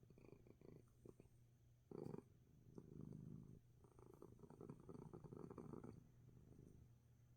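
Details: Domestic cat, sick with sneezes yet relaxed, purring hard indoors; low continuous rumbling purr rising and falling in breathy waves, with a brief louder rustle early on.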